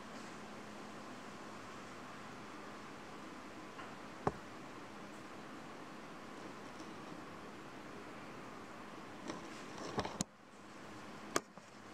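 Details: Quiet indoor room hiss with a low hum, one sharp click, and handling rustles and taps near the end; no animal sounds.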